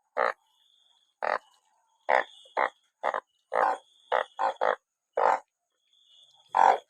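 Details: After rain, a crowd of captured banded bullfrogs calls with abrupt, buzzy, bleat-like croaks, singly and in quick pairs, about eleven in seven seconds, over a steady thin high-pitched whine.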